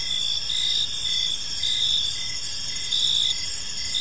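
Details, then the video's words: Crickets chirping in a tranquil evening park, high clear trilled bursts of varying length, some nearly half a second, rising above a constant insect hum with muted low background noise. "Park Serenade: Cricket Sounds in a Peaceful Park | Evening Ambience"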